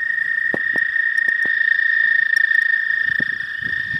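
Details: A pond full of frogs gives the first chorus of spring as a constant, high-pitched trilling hum. Sharp taps and clicks come in short bursts, and soft rustling follows toward the end.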